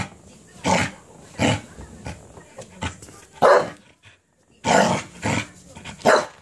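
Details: Cardigan Welsh Corgi going wild over a cabbage core it was given: a brisk string of about seven barks, a brief lull near the midpoint, then three more harsh barks in quick succession.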